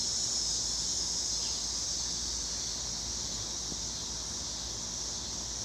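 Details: Cicadas in Illinois hold a steady, hissing, high-pitched drone without a break.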